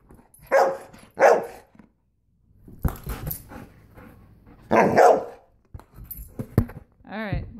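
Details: Golden retriever Abby barking while playing volleyball indoors: two loud full barks close together, then scuffling and knocks, another strong bark near the middle, and a high whining tone at the end.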